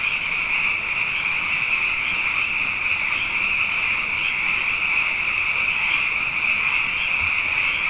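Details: Massed frogs singing at night following two wet years, their overlapping calls merging into one unbroken high, buzzing drone with slight wavering pulses throughout.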